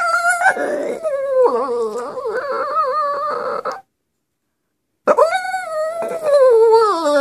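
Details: Singing dog Bullet gives warbling, quavering howls that dip and rise in pitch, breaks off into a short silence, then resumes with a swelling howl that slowly sinks lower.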